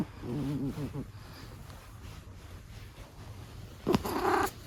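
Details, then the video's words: A senior Abyssinian cat snoring indoors: a wavy, rasping, purr-like snore in the first second, a quiet pause, then a louder snorting burst of breath near the end. "猫の いびき。。"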